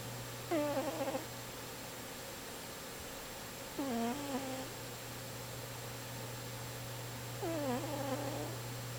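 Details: Snoring pet cat indoors, three whistly, slightly wavering tonal snores, one on each breath about every three to four seconds, each dipping then holding a nasal pitch, over a constant low electrical hum.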